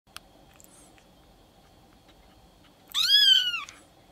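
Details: Silver Maine Coon kitten, seven days old, at a breeder's cattery in Tokyo, Japan, giving one clear high mewing cry that rises then falls, lasting under a second, after a few faint clicks in an indoor room.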